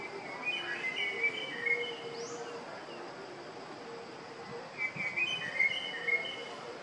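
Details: Baby monkey separated from its mother, crying: thin, high wavering whines with stacked overtones come in two bouts, one in the first two seconds and another after about five seconds, over a steady background hiss.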